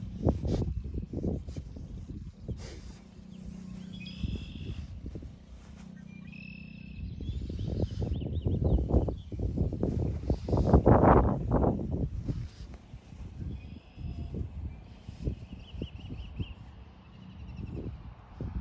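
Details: French Bulldog named Marcel, sniffing and hopping; quick breathy snuffles repeat rapidly throughout, swelling into a dense, louder flurry around the middle before easing off, over a steady low hum.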